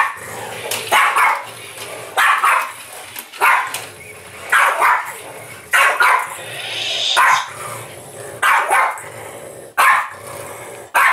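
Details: Play fighting an interactive Yoda toy, the French Bulldog Apple gives a run of gruff, snorty barks, roughly one every second, with low grumbles filling the gaps between them.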